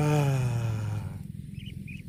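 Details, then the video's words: Cow eating grass gives one deep, rich moo lasting about a second, sliding slightly downward in pitch, then fades into soft, low, rhythmic rustling and chewing-like noise. "CUTE AND FUNNY COW SOUND EATING GRASS COMPILATION - COW MOOING"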